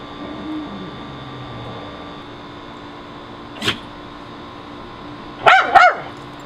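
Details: Pet dogs in a backyard on June 30, 2011, barking at a squirrel on an electrical high wire; one sharp bark, then a quick double bark a few seconds later over a steady background hum.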